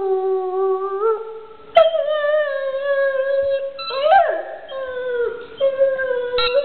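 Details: Howling pet dog with a toy, a sustained near-continuous howl that holds a level pitch, lifts sharply after two seconds, wobbles and dips, then settles into steady drawn-out notes.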